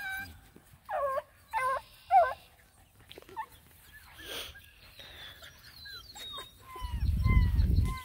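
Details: Nine Black and Tan Coonhound puppies, seven and a half weeks old, on a hike around a pond: three short, wavering, whiny yelps in quick succession, followed by thin chirping sounds and a burst of wind rumble.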